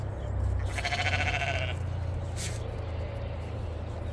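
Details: Sheep on a homestead being loaded while snow melts; a single quavering bleat of about a second over a constant low rumble.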